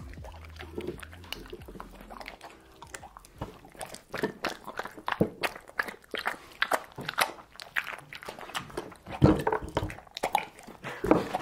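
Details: Pet dog eating home-cooked meat, briefly seared at high heat without oil, indoors in a small room; sharp crunching bites and wet chewing clicks in irregular bursts, loudest near the end, over a low steady hum during the opening seconds.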